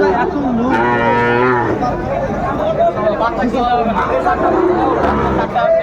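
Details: Sahiwal bull at a busy cattle market in Brahmanbaria, Bangladesh, 31 May 2024: a long, rich, harmonic moo rising then holding steady for about a second, over constant crowd chatter and bargaining voices.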